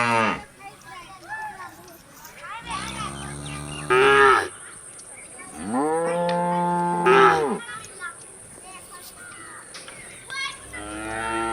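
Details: Cows while eating: three long, deep moos, each with a rich harmonic tone, swelling and bending upward into a louder nasal end, separated by quieter chewing and shuffling, with a steady high-pitched whine underneath.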